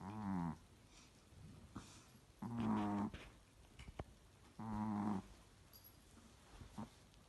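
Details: Asleep, Pixie the Chihuahua gives rhythmic snores: nasal, humming breaths about half a second long, repeating every two seconds or so, separated by faint snuffles.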